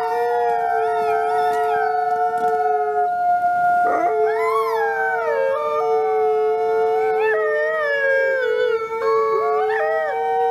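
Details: Christmas Eve chorus of captive gray wolves at the Wolf Conservation Center, South Salem, NY, including Nikai. A low steady howl runs throughout, broken once by a brief gap, while higher voices rise, bend and fall in wavering overlapping phrases.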